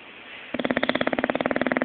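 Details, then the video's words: Zé the bulldog asleep and dreaming, snoring: after a quiet half second, a rapid, even train of rattling pulses begins and continues to the end. "Bulldog Roncando"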